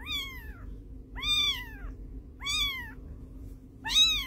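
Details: A domestic cat 'talks' in four bright meows spaced about 1.3 seconds apart, each arching up then sliding down in pitch, over a faint steady hum.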